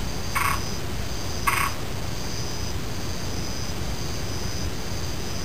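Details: A frog gives two short, harsh croaks about a second apart, each burst brief and rasping. A high insect buzz pulses steadily throughout over a continuous low rumbling background noise.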